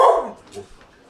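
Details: Staffordshire Bull Terrier reacting to a television talent-show contestant: one loud, harsh bark at the very start, falling in pitch, then a fading tail with a faint voice from the television.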